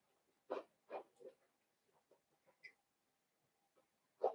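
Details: Cavalier King Charles Spaniel puppies, five blenheim littermates in a home puppy pen: a few short yelping barks near the start, then soft scattered grunts and one final sharp yip.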